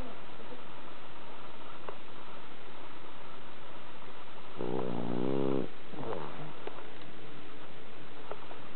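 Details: Bronson the cat, fast asleep and worn out from walking at a cherry-blossom viewing, gives one low, rasping snore of about a second, then a fainter trailing breath; otherwise quiet room hiss.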